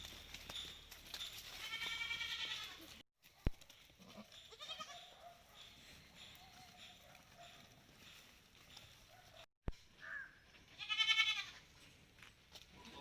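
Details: Farm Malabari goats out of their shed during the day, with one strong wavering bleat early, a faint bleat in the middle and another loud quavering bleat near the end over low background noise.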